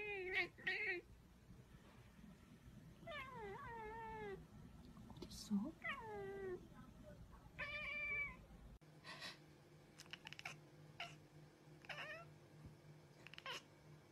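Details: Cat meows of varied length, several long and sliding down in pitch, with an abrupt cut midway to a different room where quieter meows sound over a steady electrical hum.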